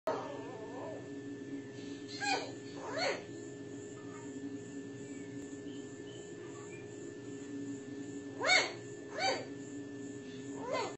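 A small dog gives short, high-pitched yapping barks in scattered pairs over a steady indoor hum.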